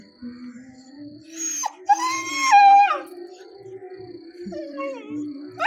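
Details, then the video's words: Young pet dog, nine months old, crying after being left behind when the father went out; a rising then falling whine mid-clip and a fainter whimper later, over steady background tones and a woman's soothing voice. "അച്ഛൻ എന്നെ കൂട്ടാതെ പോയീ ..Crying in different ways"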